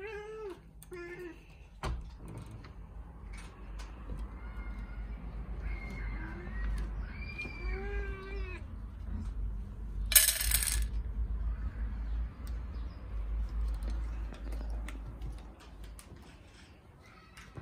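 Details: Several hungry domestic cats meowing at feeding time indoors: short harmonic meows, some rising and falling, clustered in the first half, with a brief clatter near ten seconds and steady low background rumble.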